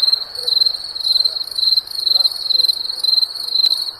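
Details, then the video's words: Crickets chirping at night in summer: a steady, high, shrill trill made of rapid pulses that swell and fade in bursts roughly twice a second, with a fainter upper overtone and a quiet background hiss. "Crickets Chirping Sounds of Night"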